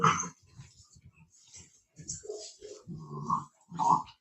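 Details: Italian Mastiff (Cane Corso) near Nashville, Tennessee, making low grunting growls and short moaning vocal bursts that rise and fall over a few seconds, indoors.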